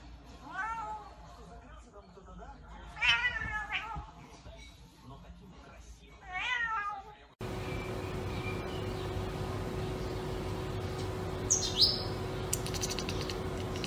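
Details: Chubby domestic cats meowing: three drawn-out, arching meows with rich overtones come in the first seven seconds, about three seconds apart. An abrupt cut leads to a steady low hum with one brief high chirp.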